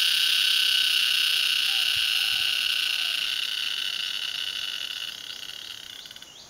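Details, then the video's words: A tree cricket sings a steady, high, ringing trill without a break, recorded in Vietnam. "Tree cricket, Vietnam"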